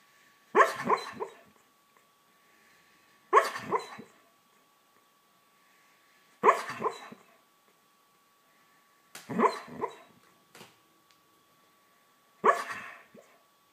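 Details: Pet dog dreaming in its sleep, making short yipping, muffled bark-like noises in bursts about every three seconds, each a quick double or triple sound, in a quiet room with a faint steady hum.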